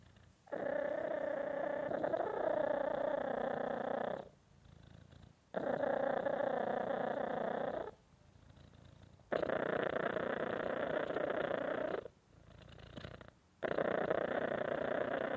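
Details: Cat giving a strong, vibrating purr in four long bursts of about three to four seconds each, broken by brief near-silent pauses between breaths.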